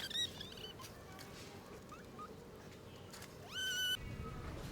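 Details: Abandoned stray kitten left two days in -11°C snow without food or shelter, then rescued: a brief high harmonic mew at the start, later a louder meow rising sharply then holding level, with faint thin chirps and background noise between.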